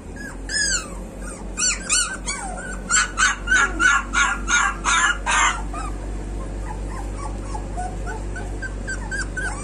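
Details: A street dog puppy gives a series of about eight loud, evenly spaced yelps, preceded by a few high whimpers and followed by softer whines, with steady low mechanical hum behind.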